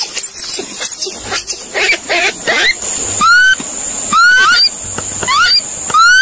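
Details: Monkey calls: a burst of shrill, wavering squeals at first, then several short upward-sliding tonal calls with overtones, set against a constant high-pitched background hiss.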